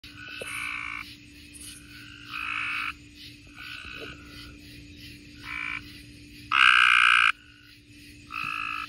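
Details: Tree frogs calling in Mississippi: a chorus of nasal, honking calls, each lasting about half a second, from several frogs at different distances, one much louder near the end, over a steady low hum.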